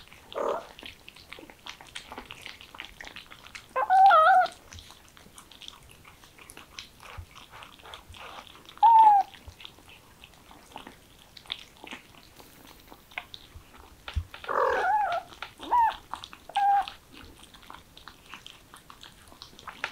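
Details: Kittens, excited by the smell of chicken, give short, high, slightly wavering mews in scattered bursts. A pair comes near four seconds, a lone one near nine, and a cluster between fifteen and seventeen seconds, over soft rustling and clicking.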